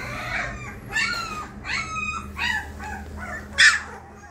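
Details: Three 20-day-old female Labrador Retriever puppies give high, thin whines and yelps, each a short rising then falling cry, about five across four seconds, with a steady low hum behind.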